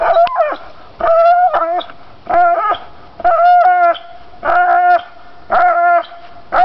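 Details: Pit bull, a domestic dog, stubbornly gnawing pine branches, giving loud tonal whining howls in bursts about once a second, each a steady nasal note with rising and falling tails, short quiet gaps between.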